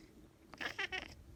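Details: Big Maine Coon cat from a cattery in the South of France, indoors, giving a brief burst of two or three short, high, squeaky meow-like calls lasting under a second, with a person talking nearby.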